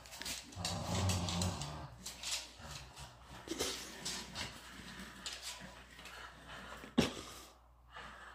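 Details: Miniature Schnauzer named Devin playing with a computer chair: a low, rough growl rumbles through the first two seconds, followed by scuffling and rustling bursts and a sharp knock near the seventh second.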